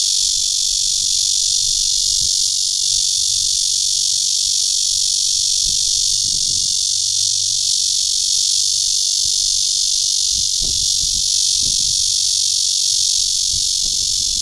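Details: Red-veined bear cicada (Cryptotympana holsti) in Guangming Park, Zhongli, Taiwan, giving its mating call: an intense, constant shrill hiss that holds level throughout, with only occasional faint low thumps in the background.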